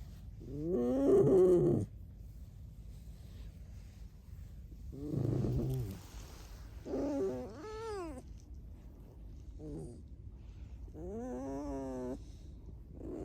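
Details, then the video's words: Pet red fox producing a varied series of squeaks without human speech: five wavering, rising and falling harmonic cries, some strained and rough, others thin and quavering, spread over thirteen seconds with quiet gaps. "лиса. Скрип без разговоров"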